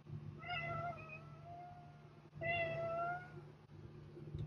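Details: Domestic cat uttering two long, slightly wavering meows about two seconds apart over a steady low electrical hum.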